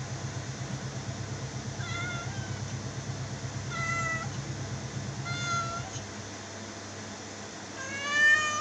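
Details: A cat meowing repeatedly, four short meows spaced about one to two seconds apart, with the last one louder and higher, over a low rumbling hum.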